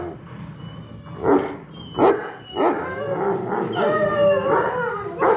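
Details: Alaskan bush dogs singing together after mushing: overlapping wavering howls and yips begin as short bursts, then become a sustained chorus of rising and falling tones that ends with another sharp yip.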